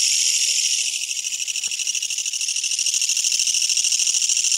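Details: Probable Kutsuwamushi katydid close by, giving an intense metallic buzz with a clear throbbing pulse, about three to four beats a second. The buzz stays strong throughout, with a faint click near the start.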